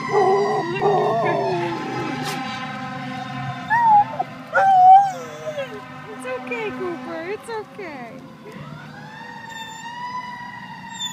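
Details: Cooper, a standard poodle, howling along with a fire truck siren: wavering mid-pitched howls rise and fall over a steady sweeping siren tone, with a low rumbling engine hum beneath.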